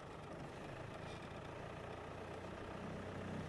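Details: Steady rumble of an idling safari vehicle engine on a game drive at Djuma Game Reserve, South Africa, with no animal calls.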